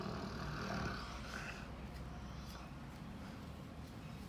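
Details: A Labrador Retriever, dreaming in sleep after a very long run and walk, snores with a low, rough, rumbling breath that eases into softer noisy breathing.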